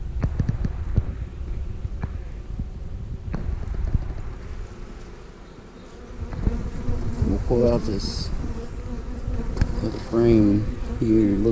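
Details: During a hive inspection, honey bees hum in a dense low buzz as frames holding pollen and capped brood are lifted out. The hum rises and falls, and the beekeeper speaks near the end.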